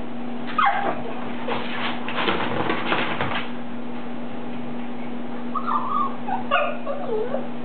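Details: A Lhasa Apso trying hard to get dryer balls out of a laundry basket makes rattling, scraping clatter, with short, high, wavering whines and yips over a steady low hum.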